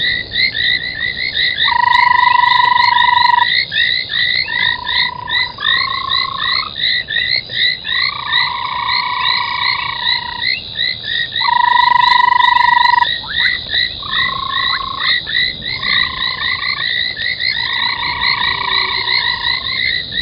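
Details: Frogs calling at 03:40 on 25 January 2021 around an old foam nest at Gowrie dam, Djuma Game Reserve, South Africa. Dense rippling chirps repeat continuously while sustained steady whistles rise and stop in turn.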